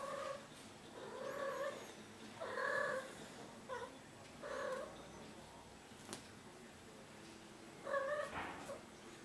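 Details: Burcia, a six-month-old female cat adopted from a shelter, in her first heat, stretching and restless indoors; a series of drawn-out, harmonic meowing calls, each about half a second long, come in bursts with short quiet gaps between them.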